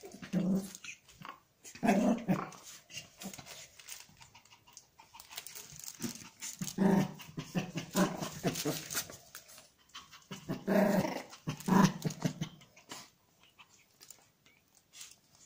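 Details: A Pomeranian huffs and growls, wanting to take something, giving short, rough growling bursts in pairs with quiet gaps between them.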